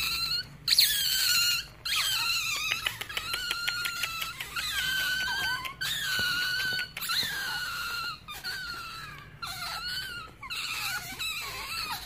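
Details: Rare baby otter with white feet and a white tail, called a ringtail, gives a steady run of high, squealing wails. Each cry lasts about a second, often drops in pitch at the end, and comes after a brief pause, about ten in all.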